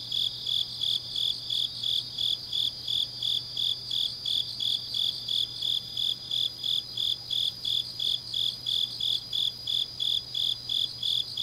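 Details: Grass insects calling on a late autumn night in Changnyeong, South Gyeongsang Province, Korea: evenly spaced shrill chirps, close to three per second, over a constant high, thin background whine of more insects.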